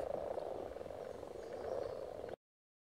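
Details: Spawning frogs at Silton Forest give a thick, unbroken chorus of low overlapping croaks, rising and falling gently in loudness before cutting off abruptly, then silence.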